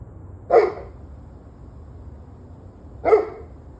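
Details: A dog gives two sharp single barks about two and a half seconds apart, recorded in the evening of 21 November 2023, with a faint low rumble underneath.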